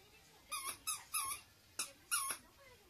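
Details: Teacup Poodle indoors, begging for a toy to be thrown: five short, high, squeaky whines with bright overtones, some slightly rising then falling, spaced irregularly over about two seconds in a quiet room.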